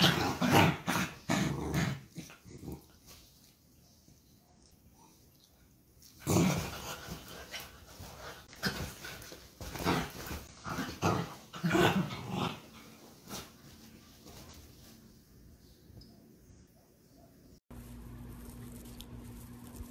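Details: Dachshund puppies at play: bursts of rough growls and short yips come in irregular clusters, quiet gaps between them, with an abrupt cut to a steady low hum near the end.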